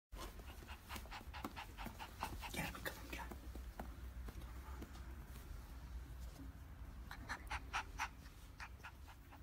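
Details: A Golden Retriever puppy pants and snuffles in quick, breathy bursts, with faint human voices nearby.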